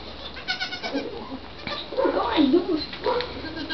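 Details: Twin newborn Nigerian Dwarf goat kids, about three days old, play and give short, wavering bleats, one standing on its hind legs, with a person talking nearby.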